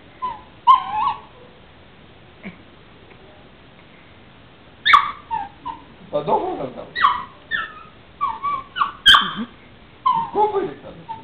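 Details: A female puppy vocalizes toward her owner, giving a run of short high whines and yelps that rise and fall, bunched in the second half, with a man's voice talking in Greek between them indoors.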